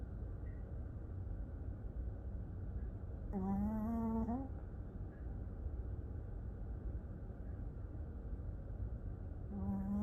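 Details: A dog asleep and snoring, one buzzy, hum-like snore lasting about a second and rising at its end, with another just beginning near the close, over a continuous low-pitched background hum.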